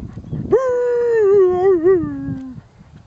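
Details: A Beagle howls atop a ramp at Winter Haven Dog Park while 'singing' with its owner: one sustained, harmonic-rich howl about two seconds long, starting high, wavering briefly, then sliding lower and fading, after a soft cue from a man.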